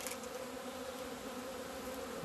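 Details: Honey bee colony on a warm February day, 17 February 2020, its bees finally leaving the hive for the sun after two months. An even, unbroken low hum is heard throughout.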